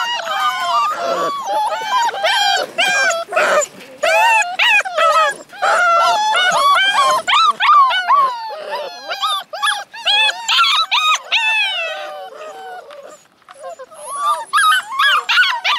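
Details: Eight Alaskan Malamute puppies, born to Minnie in February 2013, in a chorus of overlapping high wavering howls and whimpers. The rising and falling yelps come in quick bursts, about two or three a second, with short gaps.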